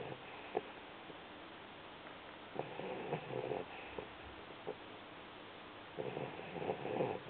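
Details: Aginka, an 8-week-old Vizsla puppy, snoring indoors: soft, breathy, rasping bursts arriving every couple of seconds, with longer rough breaths near the middle and the end, over a quiet steady hiss.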